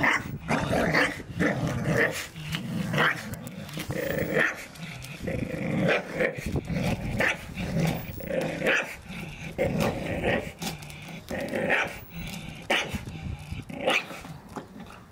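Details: Several Staffordshire Bull Terriers playing in a garden, tearing apart a ball given to each dog for Christmas; continuous rough growling and grumbling with short yelps and snarls throughout, dense and overlapping, with scuffling bursts between.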